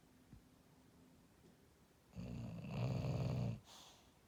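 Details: English Bulldog asleep and dreaming, giving one long low grating snore of about a second and a half after a quiet pause, in a small indoor room.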